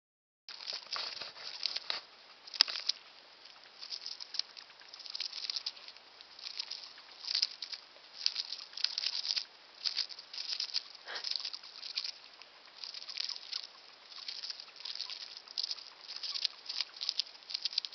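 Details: A pet hamster about one year old, a little old, gnaws and nibbles while eating, making soft, dry crunching and rustling bursts in quick irregular runs. Hamster.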